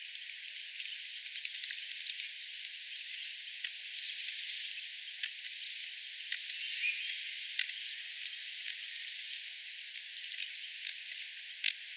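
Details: A steady crackling hiss like frying or rain, with scattered sharp clicks and no animal voice.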